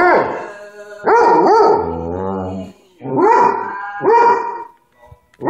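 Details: Hobbes the dog voicing his thoughts on Hank Williams with a drawn-out warbling howl that bends up and down, then two more swooping howls after a pause.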